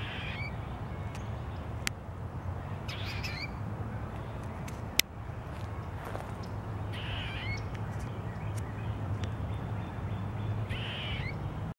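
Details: Grey squirrel alarm call made while eating, 15 February 2023: spaced raspy chattering bursts every two to four seconds, with a few sharp clicks and a low steady hum behind.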